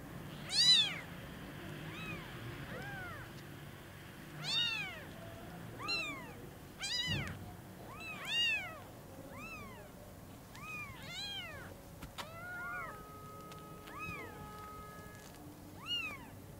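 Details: Newborn kittens whose eyes have just opened, seeing their mother cat for the first time at Lucky Paws: a run of high, arching harmonic meows, some overlapping, roughly every second or two, with a few short squeaks and faint background rustle.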